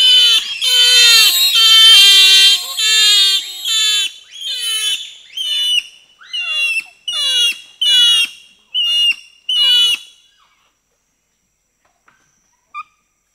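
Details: Four to six bonobos (pygmy chimpanzees) shrieking in reaction to being presented with sugar cane: loud, overlapping, harmonic-rich screams. They open as a dense chorus, then break into separate bursts about every second and stop after ten seconds, leaving near silence.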